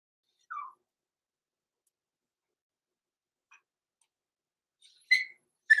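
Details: Roman and Blue, blenheim Cavalier King Charles Spaniel puppies aged six weeks, overnight indoors in their pen; a short soft falling whimper, a quiet pause, then two sharper, louder high yelps near the end.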